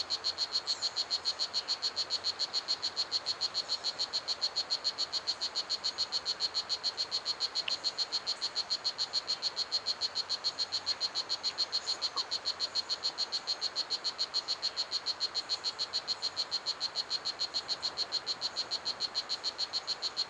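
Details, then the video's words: A strawberry poison dart frog (Oophaga pumilio), 2.54 cm long, in a 3-hectare ecological garden, gives a steady run of high, buzzy chirps, about three or four each second; loud enough to carry across the garden; strawberry poison dart frog. "The Song of Blue Jeans - a Poison Dart Frog"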